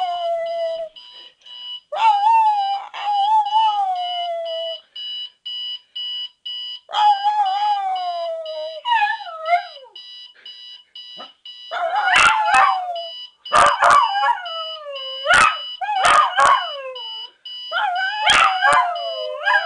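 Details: Pet dog Sonny howls at a ringing alarm clock, long wavering howls sliding down in pitch, then sharp yelps with clicks in the second half, over a continuous beeping alarm tone.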